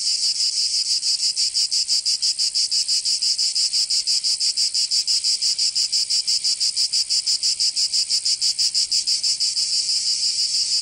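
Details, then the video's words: Summer cicadas of Provence, southern France, keep up a shrill, even buzzing pulsed about three times per second, highly regular and constant from start to finish without other noises. "Canto Cigarra 🦗 [ Escuchar les cigarras en verano 10 H]"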